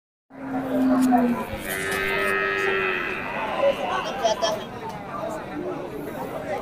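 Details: Cattle at the busy traditional livestock market of Masbagik in East Lombok, Indonesia, where local and imported breeds are traded. A low, drawn-out moo gives way to a higher held tone, over music, clapping and traders' chatter.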